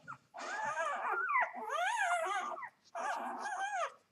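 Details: Newborn Vizsla x Labrador puppy, two days old, from a Vizsla dam and Labrador sire, whimpers in three loud, wavering, rising-and-falling whines, each lasting about a second, close and clear.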